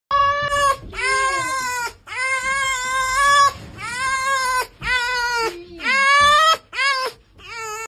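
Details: A fox, described as happy, gives a run of drawn-out, whining cries, each about a second long and rich in overtones.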